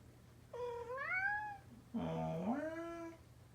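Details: Male orange tabby domestic cat, a former rescue kitten adopted from a cat cafe, indoors while its owner imitates its meows; two drawn-out meows, the first higher and gently rising, the second lower, swelling upward and then fading.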